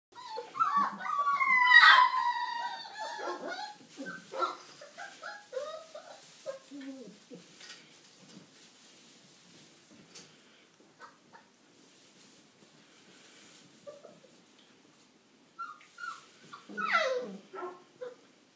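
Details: Five-week-old Old English Sheepdog puppies of an A-litter whine and yelp in clustered bursts: a loud run of high, wavering squeals early on, then scattered softer whimpers, a quiet stretch, and a fresh burst of rising and falling yelps near the end.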